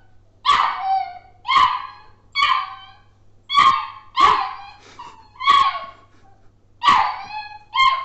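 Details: Young Labrador Retriever puppy giving a run of eight sharp, yappy barks at about one per second, each bright and harmonic with a slight downward slide at its end, with no other sounds around.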